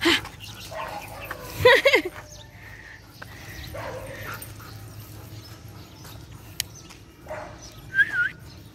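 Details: Kratos the Belgian Malinois, running on June 15, 2021, gives a wavering, pitch-bending whine in the second second, soft muffled noises through the middle, and a short rising yelp near the end.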